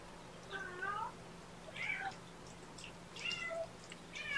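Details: Four young shelter kittens, three boys and a girl, handled at lunchtime: four clear, high, wavering mews, each under half a second, coming about every second, over a faint steady hum.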